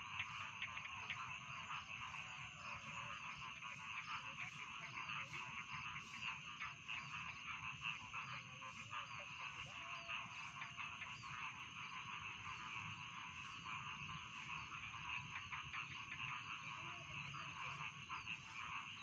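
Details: Steady chorus of rice field frogs as bedtime ambience: many frogs croak at once in fast, pulsing rhythm, producing an unbroken rattling buzz with occasional louder calls and a low background hum.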